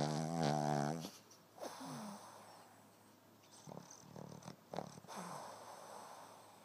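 A Boston Terrier snores, opening with a loud, droning, wavering snore before softer snuffling breaths.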